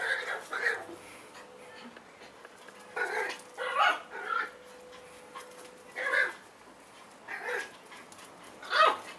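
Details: Eight-week-old Schipperke puppies give squeaky, high yips and whines in about six short bursts spread over nine seconds, over a faint steady hum.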